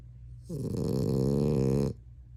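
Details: Sleeping Frenchie giving a long, loud, growly snore of about one and a half seconds, a low vibrating rasp likened to a grizzly bear, steady throughout and stopping sharply.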